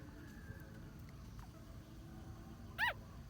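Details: Ten-day-old newborn puppy lets out a single brief high squeak that arches up and falls away near the end, set against a steady low background hum and a few faint clicks.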